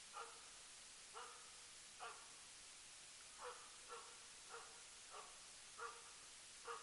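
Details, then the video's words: Elk-hunting Jämthund Rapp, working as a loose hunting dog in 2012, gives a steady run of far-off barks, roughly one every 0.7 seconds with short pauses, each a brief harmonic yelp set against constant broadband hiss. "Löshundsjakt med jämthunden Rapp"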